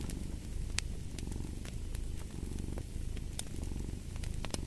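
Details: A domestic cat purring steadily, a low rumbling throb in waves of rising and falling loudness, over the sharp pops and crackles of a burning fireplace.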